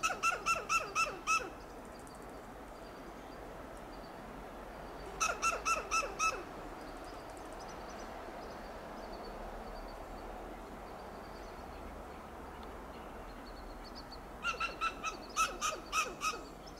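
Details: A western gray squirrel on a coast live oak in Del Monte Forest, California, gives loud bursts of sharp, barking alarm notes against a steady background hiss.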